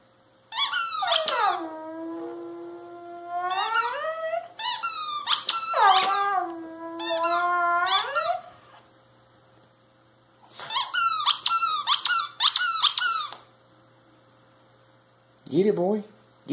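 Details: A twelve-year-old male Cairn Terrier howls with joy in drawn-out, wavering notes while chewing a toy that gives sharp squeaks.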